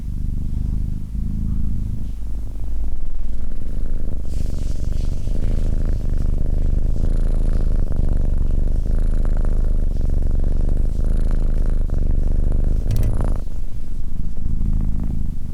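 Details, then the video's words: Cat purr as a continuous low rumble that swells louder and rougher through the middle, gaining a buzzier, fuller tone with a faint high hiss, then eases back to a soft steady rumble. "Cat Purring"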